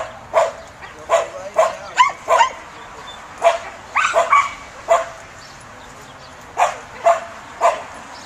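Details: A Samoyed undergoing a herding instinct test gives sharp, mid-pitched barks, some in quick doubles and triples, separated by short silent pauses, with a final spaced trio of barks.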